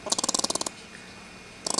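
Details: Agitated squirrel, stressed while held and about to be let back into the trees, producing a fast train of rasping pulses, then silence and a second short burst of chatter.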